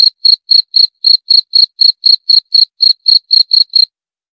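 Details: Rapid cricket chirps, evenly spaced at roughly four a second, sharp and shrill, continuing for almost four seconds before stopping into silence.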